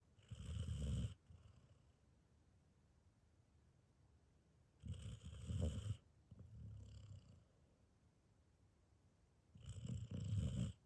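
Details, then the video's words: A sheepdog asleep, curled up after a long day, snoring: deep rumbling snores about every four to five seconds, each lasting roughly a second, with a softer one between, in a quiet room. "A Snoring Sheepdog"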